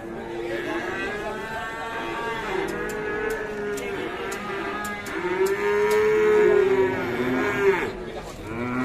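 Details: Fierce cattle calling with long, drawn-out harmonic moos that rise and fall, one loud sustained bellow near the end, and sharp clicks scattered throughout.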